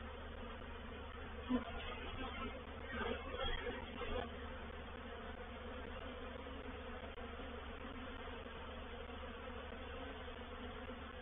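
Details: Honey bees of a reproductive swarm entering a swarm trap at Painted Peacock Manor, 04/07/21. A continuous low buzzing drone runs under the whole clip. A brief rustling burst comes in the first few seconds.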